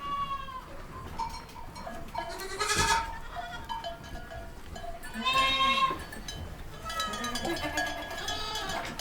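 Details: Baby goats giving three main bleats spaced about three seconds apart, each one quavering and rich in harmonics, with fainter calls and a ringing bell-like tone between them.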